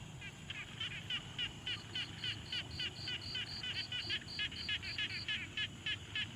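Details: Quiet pond frogs, recorded on a Tascam Portacapture X6: two callers overlap, one giving rapid raspy pulses, the other a clean, higher tonal note repeated at the same quick pace, over a low rumbling background.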